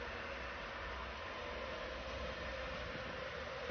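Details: Steady broadband rumbling noise like a passing train or vehicle, with no animal call heard.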